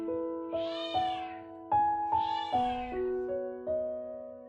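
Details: Kitten about two months old, trapped alone in an empty house for over ten days, crying for help before its rescue. Two drawn-out, wavering meows rise and fall over steady background piano music.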